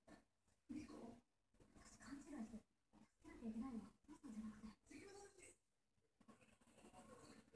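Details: A dreaming Norwegian Forest Cat indoors gives low, throaty murmuring mews and grumbles in short bursts, about five over several seconds, with quiet pauses between them in a small room.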